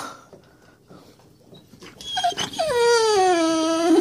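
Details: Great Dane indoors whining eagerly as her owner talks of going outside to play; a rising yelp flows into a loud, long whine sliding downward in pitch, harmonically rich and sustained to the end.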